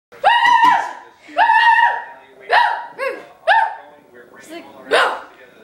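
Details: Remy, a furious Chihuahua puppy, barks at Kaylee indoors: about six sharp, high, yappy barks spaced roughly a second apart, each with a bright ringing tone, the last ones rougher and breathier.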